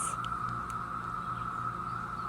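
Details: A chorus of Brood X periodical cicadas, emerged in 2021 after 17 years underground, makes a steady, even, high-pitched whine that never breaks, in the North Georgia mountains.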